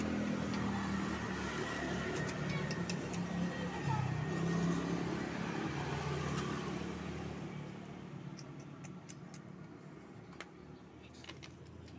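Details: Street traffic rumbles and engines pass with faint voices nearby, fading quieter toward the end, with no animal calls heard.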